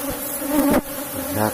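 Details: Short burst of Asian honey bee buzzing at a box hive during a honey harvest, a steady hum that surges loudly for a moment and then settles back.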